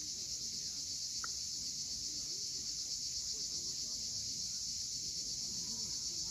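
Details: Constant high, shimmering drone of cicadas at sunset at Cape Fiolent, Crimea, with a single brief click near the start and a quiet low murmur of sea below.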